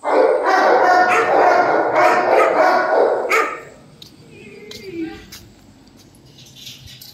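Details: A Dogo Argentino delivers a loud, rapid run of rough barks that blur together for about three seconds, then stops, leaving a quiet background with faint scattered noises.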